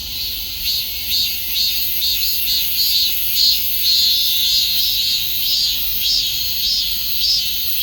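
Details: Cicada calling: a dense, high, hissing buzz that swells and fades in pulses about twice per second, steady throughout with no other clear sounds.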